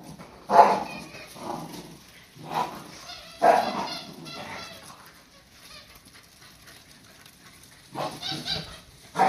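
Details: Playful Cardigan Welsh Corgi puppies with a cheap 100-yen-shop dog toy give short, bright yips and barks in clusters, with quieter gaps between bursts and a voice calling out nearby.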